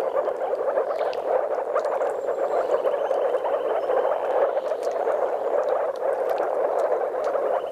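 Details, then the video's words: A dense chorus of courting moor frogs (Rana arvalis), with a few common frogs (Rana temporaria), gives soft, bubbling low calls at a spawning site in Mecklenburg-Vorpommern, Germany. "Moorfrosch Balz"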